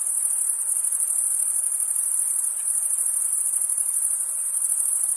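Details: On a summer night, a dense chorus of crickets forms a steady, high, shimmering trill with no pauses.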